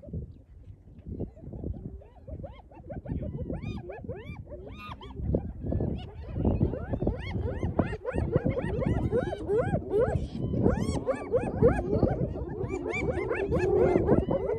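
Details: Spotted hyenas taking over a lions' meal after the lions had eaten their fill, filmed on an iPhone: many overlapping short rising and falling whoops and giggling calls, building in loudness, over low rumbling engine noise.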